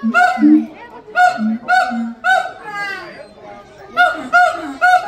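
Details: Siamang at Los Angeles Zoo, children playing nearby: a loud series of harmonic hooting calls, each burst rising in pitch and repeated roughly every second, with brief pauses between bouts.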